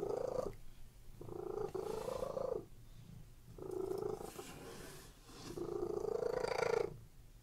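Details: Domestic cats purring while lying on a bed, a relaxed sound: a low rumbling purr in three long breathy bouts, each swelling and fading, separated by quiet pauses.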